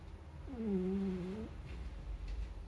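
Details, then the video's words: Napping Shiba Inu puppy, around four months old, snoring inside its carrier: one smooth, low, whine-like tonal snore lasting about a second, rising slightly at both ends, then soft breathing noise over a steady low hum. "ちっちゃな柴犬くるみちゃん お昼寝でいびきをかく"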